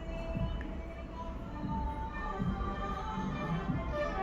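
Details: Music plays over a few quiet spoken words and soft background noise, with no animal voice audible.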